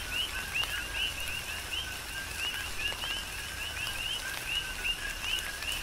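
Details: Coqui frogs on Hawaii's Big Island in tropical rain, a rhythmic chorus of bright, rising chirps tumbling one after another, roughly a dozen in six seconds, with continuous rainfall and occasional sharp raindrop taps beneath.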